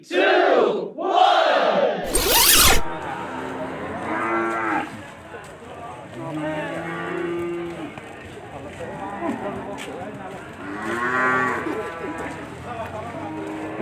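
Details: A bull at the cattle market of Ambarketawang, Sleman, gives a deep, drawn-out moo in two swelling arcs, cut by a sharp burst; then a busy crowd murmur and music fill the background.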